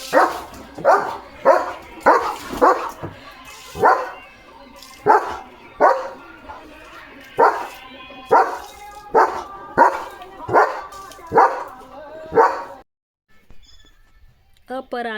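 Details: German Shepherd named Leo, freshly bathed and in alert duty mode, delivers about a dozen evenly spaced, harsh barks roughly one per second, then falls quiet near the end with a brief faint sound.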